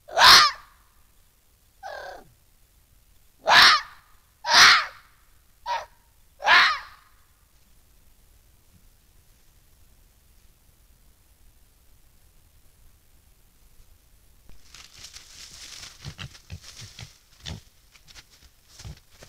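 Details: Red fox vixen guarding her den next to a badger sett from a vicious intruding fox: a rapid run of six rasping, explosive screeches within seven seconds, then quiet, then scuffling and rustling noises.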